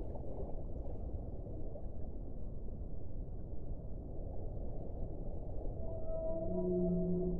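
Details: Whale, from an hour-long relaxing compilation: after several seconds of dull, churning underwater rumble, a clear rising set of layered tonal moans with bright overtones appears at the very end.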